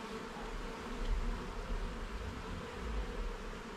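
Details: Honey bee colony hum during a garden hive inspection as frames and levels are checked: a dense, steady buzzing drone, with heavy low rumble and handling noise underneath and no talking.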